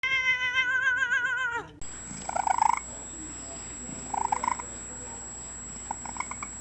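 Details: Domestic cat in a compilation of cats making funny talking noises: one long wavering, harmonic-rich meow lasting under two seconds, followed by faint clicks and rustles with a steady high tone in the background.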